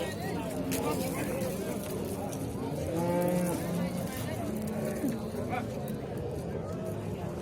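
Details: A bull lowing at a livestock market in Shahrixon, Uzbekistan: a drawn-out, low, harmonic moo near the middle, over a steady bustle of market crowd, men talking and distant traffic.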